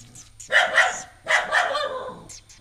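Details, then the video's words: Pet dog barking at a new stray puppy at home: two bursts of doubled, harsh, loud barks in quick succession, with faint softer sounds after. "Dog keep on barking at the new puppy, a stray dog"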